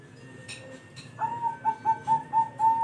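A sugar glider gives a quick run of short, clear, even-pitched yips.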